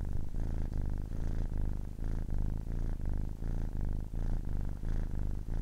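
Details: A 10-week-old kitten purrs in a deep, grainy rumble, breathing in and out in short regular pulses about every half second to second, with no other noises present.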